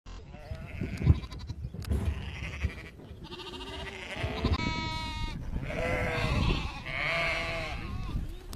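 Lambs bleat repeatedly with wavering, nasal cries over a low rumble of background noise.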